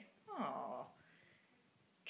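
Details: Hungry Siamese and Havana cats indoors at feeding time; a single falling, drawn-out meow, then quiet room hush.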